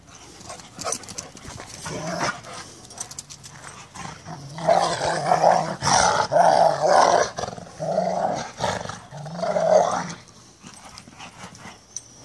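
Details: Two Rottweilers, Merlin and Sonja, playing the chase me game: rumbling, harmonic growls in long loud bouts through the middle of the recording, separated by short pauses, with softer rustling and movement noise before and after.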